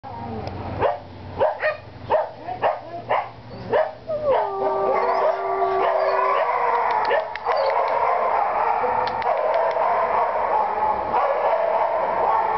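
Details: Neve, a very young white shepherd dog with a wavy coat, a Maremmano mix, kept behind bars since 10 March 2012. About eight sharp barks come in quick succession over four seconds, then a sustained tonal howl-like cry over a dense, noisy background.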